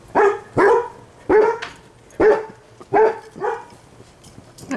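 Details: Seven-week-old Standard Poodle puppies, lying around with the family and learning to relax, give short, high, sharp yapping barks, about seven in five seconds, some in quick pairs with short pauses between them.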